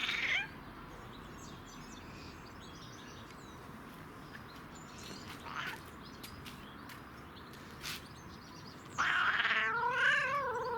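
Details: Domestic cat enjoying catnip, giving odd noises: a short vocal burst at the start, a faint brief sound midway, then long quiet stretches of soft hiss, ending in a loud wavering, warbling yowl with rising and falling harmonics.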